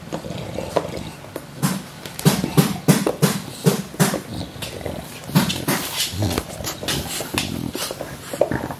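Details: English Bulldogs WanWan and Fe, both just over one year old, filmed December 23, 2015, indoors. Deep, throaty growls and snorting grunts come in uneven bursts, roughly three per second, between louder scuffling thumps.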